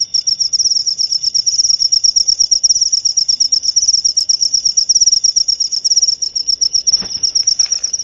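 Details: Rapid, rhythmic cricket chirps, high and buzzy, running continuously, intended to calm the mind before sleep and chase off rats; a short click interrupts near the end.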